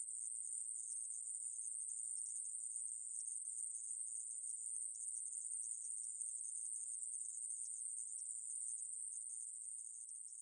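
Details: Conehead katydid (애매부리), 2020: a sustained, thin, high-pitched buzzing drone at an unchanging pitch. It fades slightly toward the end, and no other animals or noises are heard.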